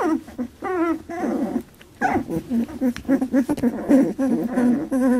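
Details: Labradoodle puppies, 18 days old, scuffling in a milk fight: wavering high whines mixed with rapid low grunts and squeaks, overlapping as several pups call at once, indoors.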